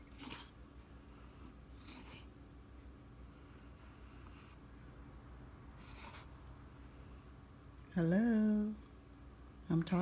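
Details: Indoor French Bulldog, a male insisting on his morning walk, lets out a drawn, harmonic moan lasting under a second near the end, then begins another, after a long stretch of faint shuffling and breathy room noise.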